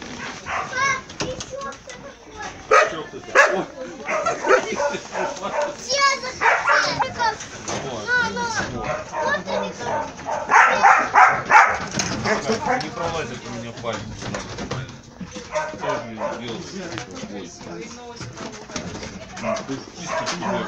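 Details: Huskies, laikas and samoyeds in the Altai in winter raise a chorus of overlapping, wavering yelps and howls, with a few human voices mixed in.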